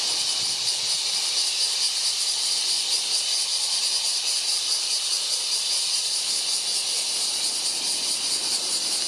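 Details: Bear cicada singing on 19 July: a loud, continuous, high-pitched buzzing drone with a steady, fast pulsing throb, unbroken for nine seconds and filling the whole recording.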